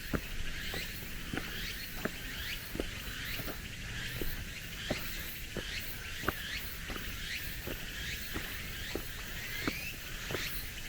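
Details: Cicadas on a mountain forest track late in summer, in cooler weather, give a dense high trilling drone with recurring upward-curving phrases; walking footsteps on gravel and stone paving tap steadily throughout.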